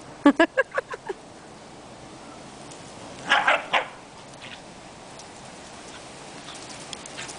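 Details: A pet dog playing with a basketball gives five quick, sharp yips in the first second. A short burst of brighter, harsher sounds follows near the three-second mark, then quiet.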